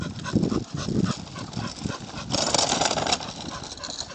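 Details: A Chow Chow pulling on the lead during a walk, almost home, makes brief low gruff huffs and growls in quick succession, with a louder patch of hissing, rustling scuffle noise.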